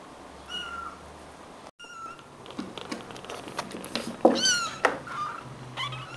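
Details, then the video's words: Four rescued kittens about three weeks old, born stray in a yard in Greece and now hand-fed formula indoors; repeated high, piercing mews, a couple early then a rapid overlapping cluster with handling bumps and rustling. "baby kittens"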